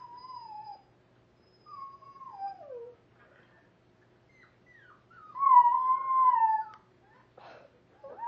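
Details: Half dachshund, half pug rescue dog howling at a computer indoors: long wavering tones that slide downward, separated by short pauses, with one stronger, higher, drawn-out howl near the end.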